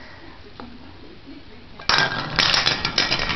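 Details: A quiet room hum gives way to loud metallic clinks and rattles, like a small object spinning and dropping on a hard surface, with no animal voice.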